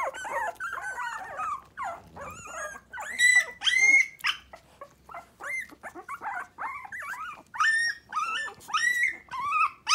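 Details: Five Miniature Pinscher puppies, three weeks old, kept mostly in their baby bed and newly alert; a busy chorus of rising whimpers, squeaks and short yelps, densely overlapping with brief gaps.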